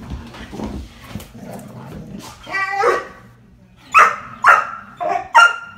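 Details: Dalmatian on a couch barking at another Dalmatian while playing, then jumping around him; several short harsh barks near the end after softer growly vocal sounds, with a person laughing.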